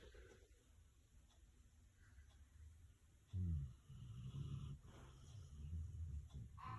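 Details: Sleeping dog snoring indoors: low, rough rumbling breaths, one loud burst followed by a longer grumbling stretch, with faint background hiss.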